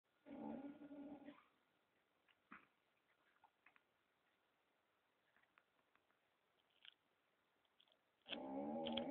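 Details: Pet dog in Romania snoring indoors: two loud rasping breaths with stacked low harmonics, one at the start and one at the end, separated by about seven seconds of quiet with faint scattered clicks.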